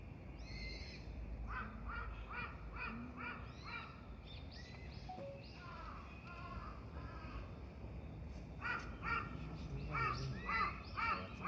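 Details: Red panda at Tama Zoo in Tokyo, recorded 18 November 2024, calling repeatedly: short harmonic squeaky notes in rapid runs, about two per second, with a pause mid-clip, over a low outdoor rumble and soft human voices.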